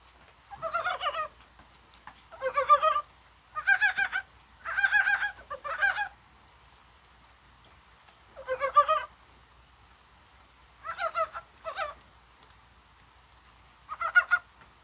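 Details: A mountain frog calls in the rain on a spring-like January 21 day, possibly spawning, giving short, throaty, pulsing croaks in bursts under a second each with quiet gaps between.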